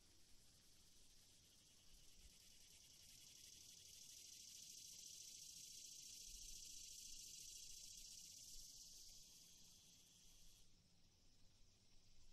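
A cicada gives a steady, high, hissing buzz that swells in the middle and then eases off.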